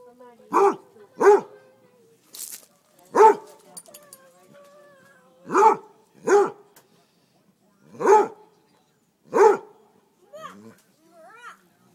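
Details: Basset hound barking at chicken thighs fresh off the grill, as if trying to cool them down: eight sharp, harmonic barks in uneven bursts over twelve seconds, with soft whines and brief human voices between.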